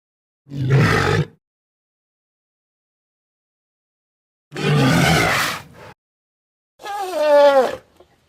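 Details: Mandrill. Two harsh, low, roaring grunts from a mandrill, each about a second long, are separated by silence. A third call follows, more tonal and wavering, sliding slightly downward at the end.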